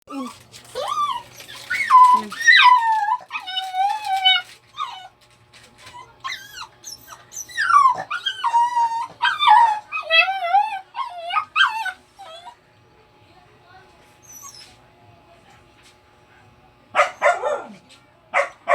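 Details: A dog crying with long wavering howl-like whines, pitch rising and falling in harmonic-rich cries, several in a row with short pauses, then a quieter stretch and a final burst of cries.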